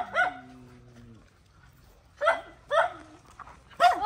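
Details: Mother dog fighting to protect her puppies: a drawn-out, steady harmonic whine opens, then three sharp, separate barks come after a quiet pause.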